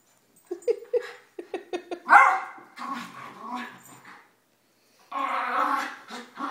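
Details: Pet dogs tussling in a morning play session, an elderly Mini Schnauzer, a Basset female and a young Yorkie; a quick string of sharp yips opens, then a loud bark, grumbling growls, a short gap and a long rasping growl-bark.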